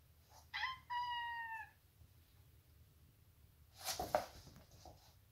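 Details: Maine Coon cat named Lera making odd 'ninja' sounds while fighting indoors: two steady tonal meow-like calls, a short one then a longer drawn-out one, followed by a burst of rustling scuffle noise.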